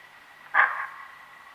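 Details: Common (Cape) bushbuck alarm call at Lake Panic, Kruger National Park: one loud, abrupt, hoarse bark with a brief fading tail, over a faint steady background whine.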